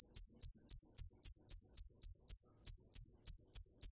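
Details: Shrill, high cricket chirps repeated at a quick, steady pace, about fourteen in four seconds, with one brief pause midway before the rhythm resumes; nothing else audible.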